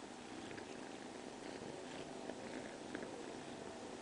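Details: Steady rumbling purr of the cat Ginechka, unbroken and even, with scattered faint taps in the background.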